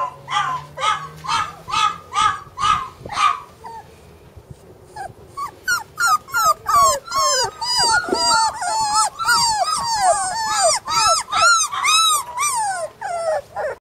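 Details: Flat-coated retriever puppy siblings: a run of evenly spaced nasal whines, a brief lull, then a chorus of shrill overlapping yelps and whimpers, several pups crying at once, rising and falling rapidly.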